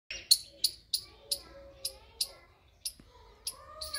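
A squirrel gives sharp, shrill screams repeated several times a second, with faint murmuring behind.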